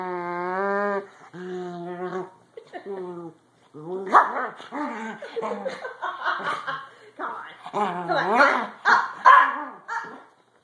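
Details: A cranky corgi, told to get off the bed, answers back with drawn-out, tonal whines and wavering grumbles while a person talks.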